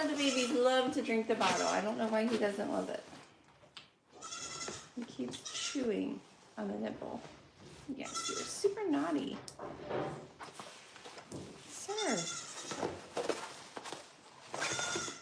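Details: Bleats of a goat on The Willful Goat Farm & Home, several short, quieter, strained calls scattered through the clip after a few seconds of a person speaking close to the microphone.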